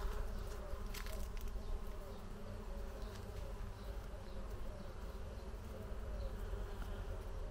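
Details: Bees swarming under a green pergola on a terrace on a hot summer afternoon, sheltering from the heat; a dense, steady droning buzz with layered low tones holding evenly throughout, many insects humming at once.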